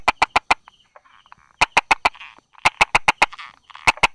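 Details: Brauer's tree frog hiding beside rock crevices and small grass, 22 July 2016 at 10:44, giving sharp tapping clicks in quick bursts of three or four, with softer buzzy croaks between the bursts.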